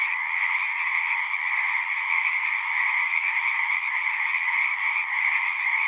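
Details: Brief stretch of a frog chorus, numerous callers producing a steady, pulsing trill in two layers of pitch, loud and constant with no other sounds.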